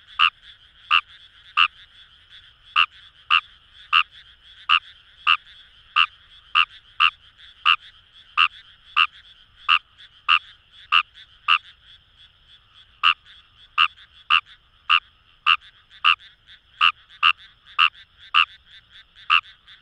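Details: Wild Fejervarya kawamurai calling in paddy fields along the Kamo River, Itoshima, Fukuoka, Japan: a loud chorus of short, sharp croaking notes repeated roughly twice a second over a steady background of many more distant frogs.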